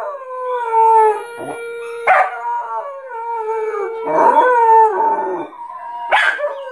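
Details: Dog giving drawn-out, tonal howling cries broken by short, rough barks, with a sharp burst near the two-second mark and again near the end; no other sounds stand out.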